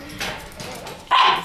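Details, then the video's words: White Shiba Inu puppy Tsubaki, born 22 December, on the morning she sets off; a single sharp, bright yip near the end follows faint soft sounds and quiet room noise. "12月22日生まれ白柴 椿の旅立ちの朝"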